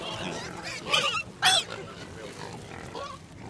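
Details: Wild boars beside road 309 on the Coromandel Peninsula, New Zealand: two short, harsh, broadband squeals about half a second apart, the second louder, over a steady low background hiss.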